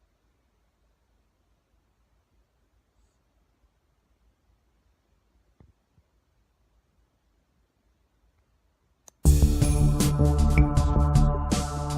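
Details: Near silence with a few faint clicks, then loud music suddenly starts after nine seconds.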